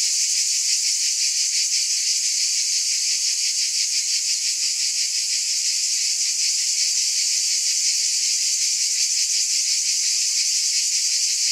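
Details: Steady shrill drone of cicadas, pulsing roughly three beats per second, with a faint low hum briefly underneath midway.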